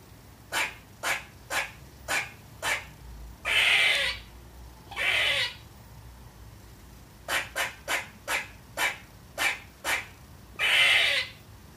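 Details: Young female squirrel barking at nothing: short clipped chucks about twice a second, broken twice by longer harsh, noisy barks lasting nearly a second, then the chuck series resumes and ends in another drawn-out rasp.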